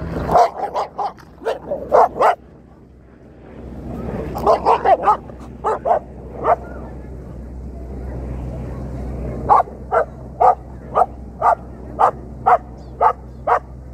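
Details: Two dogs bark in a dense, yappy flurry, then pause briefly with a murmur of background noise before rapid, evenly spaced barks resume and continue nearly once per second to the end.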